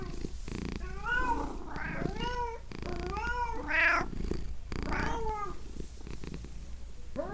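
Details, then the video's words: Pet cat meowing almost continuously, with five or so bent, tonal meows in close succession over a soft low purring rumble. "Cat Pets Purring Meowing Sound Effect"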